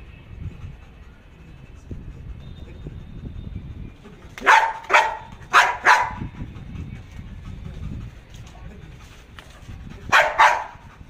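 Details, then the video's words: Belgian Malinois Jax trained to bark on command without attacking, staying beside the handler: three pairs of short, sharp barks spaced several seconds apart over steady low background rumble. "تدريب الكلب على النباح بالأمر بدون الهجوم"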